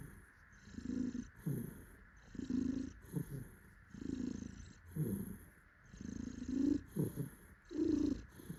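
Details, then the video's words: Contented tuxedo cat held in its owner's arms, purring loudly; deep throaty rumbles swell and fade in rhythmic bursts roughly every second as the cat breathes in and out. "Happy cat purrs while daddy cuddles it. パパに抱っこされて、嬉しみのゴロゴロ音。"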